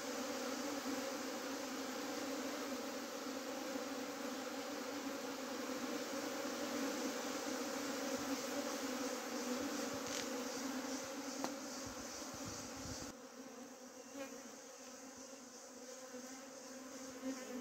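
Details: A bee swarm that again tried to flee, checked by thrown sand, fills the air with a steady, intense drone. Around thirteen seconds the buzz abruptly drops to a quieter hum, with a few clicks.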